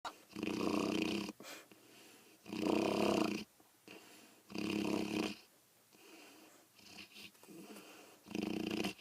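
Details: Dezi, a pet dog heard every night, snoring: loud rasping inhalations roughly every two seconds, each a buzzy, harmonic-rich breath lasting about a second, separated by quieter whistling exhalations.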